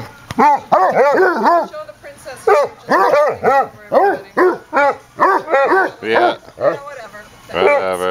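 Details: Basset Hounds at play in a house, a rescued eight-year-old male foster and the family's own dog: rapid series of loud, arched, yelping barks, about two per second, ending in a quavering drawn-out bay.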